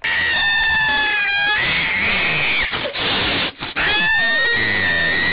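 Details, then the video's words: Cats fighting: loud, sustained high yowling caterwauls, a wailing tone dropping then rising again, broken by a brief hissing burst and a short gap midway. "Briga de Gatos"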